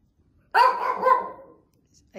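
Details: An older female Shih Tzu barking non-stop indoors after dark gives a drawn-out, harsh bark, reacting to another dog she hears outside.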